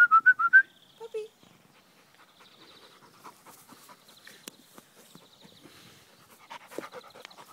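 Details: Puppies at play in a sunny garden with children, giving a quick run of high, wavering whimpering yelps in the first second, then a lower squeak; faint insect-like buzzing and scattered rustles follow.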